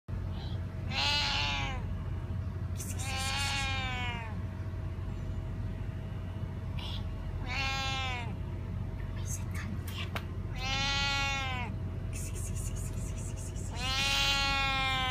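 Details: A Siamese cat gives long, wavering, bleat-like meows, one every few seconds, sounding like a sheep.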